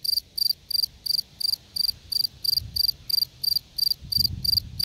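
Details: Steady, shrill chirping of a field cricket (Gryllus campestris): rapid pulsed bursts roughly three per second, evenly spaced, over faint low-pitched background noise that grows briefly near the end.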